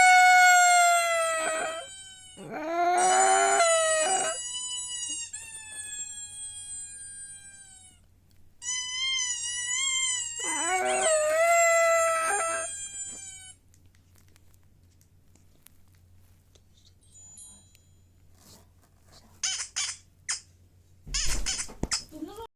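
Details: Dog howling in long, wavering tones that slide downward, with two drawn-out howls in the first half separated by a pause, then quieter scattered noises and a few short bursts near the end.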